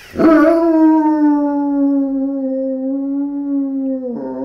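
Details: German Shepherd giving a funny howling reaction: one sustained howl of about four seconds, holding a nearly level, slightly falling pitch, with a brief yelp at the start and end.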